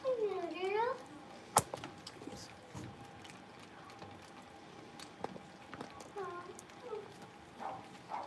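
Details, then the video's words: Blenheim Cavalier King Charles Spaniel puppies, a litter of five born at New Year, playing in an indoor home puppy pen: a one-second harmonic whine swooping down then up, followed by scattered faint yips, thumps and soft human speech. "Cavalier Puppies Livestream: Playing, Barking, and Learning"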